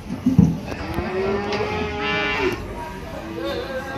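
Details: Livestock at Ambarketawang cattle market, Gamping, Jogja: one sustained, slightly bending moo of about two seconds rises over crowd bustle, a sharp knock at the start and faint music.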